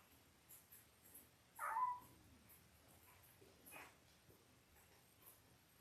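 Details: Five-day-old Labrador Retriever puppies from Belle's litter of eight, born October 15, 2023: one short, bright squeal rises and falls near the two-second mark, then a fainter peep follows, over quiet rustling.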